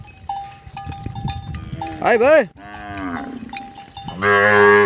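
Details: Calves crying after losing sight of their mothers: a loud rising-and-falling bawl near two seconds, a lower wavering moo, then a long harmonic-rich call at the end, with a faint steady tone and scattered knocks in the background.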